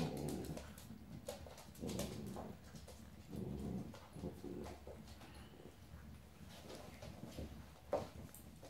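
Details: Dolly, a ten-week-old Old English Sheepdog puppy at play with Maggie and Skye, gives low throaty growls in several short surges, mixed with soft whines, scuffling and knocks in a small room.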